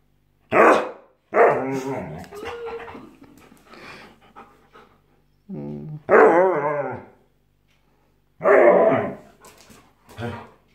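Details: A Siberian Husky, said to be very aggressive, lets out rough, wavering yowls and grumbling bursts with downward-bending pitch, separated by pauses, while someone talks to it in Italian indoors.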